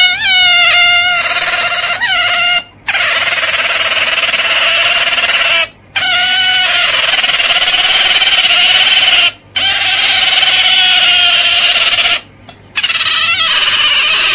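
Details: Long, unbroken shrill squealing from an otter, held steady for two to three seconds at a time, with brief pauses roughly every three seconds and short wavering chirps at the start.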